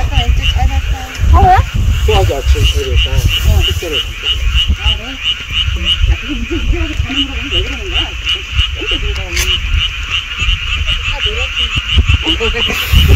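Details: Frogs calling in the mountains beside a golf course: a dense chorus of overlapping warbling, wavering croaks over a steady pulsing high trill and a low continuous rumble.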